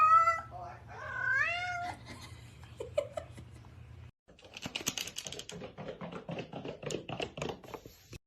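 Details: Domestic cat meowing indoors: a few wavering, bending meows in the first two seconds, then a burst of noisy, broken sounds with chatter and clatter.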